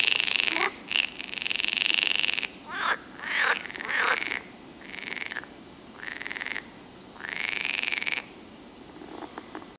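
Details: Near Turku, Finland, green frogs give loud, rattling croaks in long pulsed bursts, one after another.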